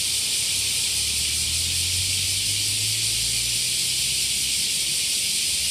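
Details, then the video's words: Small summer cicadas in Japan fill the air with a steady, high-pitched buzzing drone that never lets up, heard on waking in the morning. "Kis nyári kabócák Japánban!"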